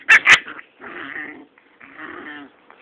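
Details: Rottweiler pups six weeks old, playing and fighting: two sharp knocks open, then two short, rough, buzzy growls, each about half a second long, separated by a brief pause.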